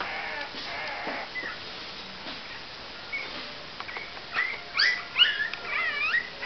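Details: Cavalier King Charles Spaniel puppies, 28 days old, quiet at first, then a burst of high, thin whimpers and squeaky yips with rising and falling harmonic sweeps in the final two seconds, several overlapping.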